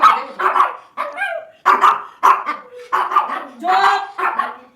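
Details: Pet Pomeranian crying at home over a late rice dinner, then called into its grandmother's lap; sharp yelping barks and whines in quick bursts of about half a second, with a woman talking nearby.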